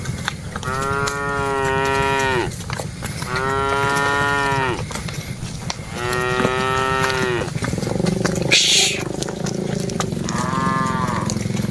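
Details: Herded cattle from a group of dozens give four drawn-out harmonic moos, evenly spaced about two seconds apart, the last fainter, with a sharp hiss or clatter near nine seconds and a low background rumble.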